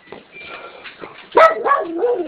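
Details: A female miniature schnoodle gives a sudden, strained, wavering bark that slides downward, asking her owner for water while her sister waits quietly and a Weimaraner is also present.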